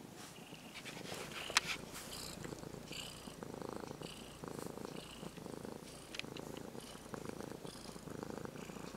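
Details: Purring of a tame brown-and-white ex-stray kitten being petted, looped in rhythmic rising-falling breaths roughly every second and a half, with rustling fur and occasional small clicks from contact.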